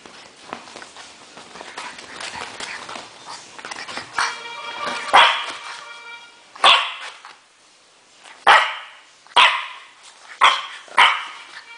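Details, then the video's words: Natron, a French Bulldog, barks furiously: after a quieter rustling start, sharp harsh barks burst out in uneven bursts roughly every second or two, each short and loud with a gritty edge. "natron FURIOSO"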